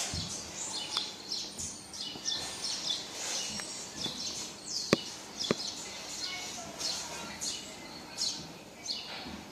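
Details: Baby marmoset calling for its mum with shrill, piercing squeaks that sweep down in pitch, repeated unevenly, interrupted by a few sharp clicks or taps.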